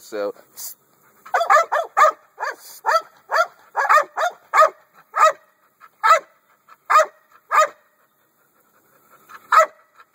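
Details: Rapid volley of loud, sharp barks from an American Staffordshire Bully, coming in quick bursts before spacing out into slower single barks with pauses near the end.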